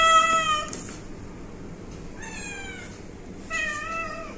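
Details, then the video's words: Pet domestic cat meowing three times: a short harmonic meow at the start, then two rising-falling meows near the middle and end, with quiet room hiss between them. "आमच्या म्याऊ😻 cute cat video😻"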